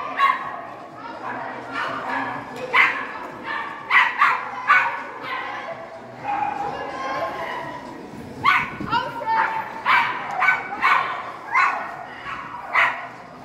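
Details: Poodle competing in the A3 small-size individual run of an international poodle agility championship; sharp, high yappy barks repeat in bursts about every half second to second, with crowd noise and background talk throughout.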